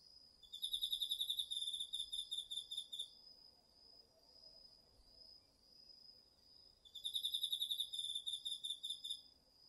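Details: Cricket song from an autumn night insect chorus in a garden field in Japan, DR-40X recording: two bursts of fast, high, pulsing chirps about six seconds apart, separated by a quieter steady insect trill.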